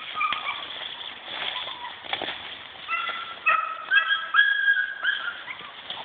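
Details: Blind German Pinscher working a short blood-tracking exercise, giving thin, high whimpers in short tonal bursts, clustered and repeated rapidly in the second half, over steady background hiss with a person speaking nearby.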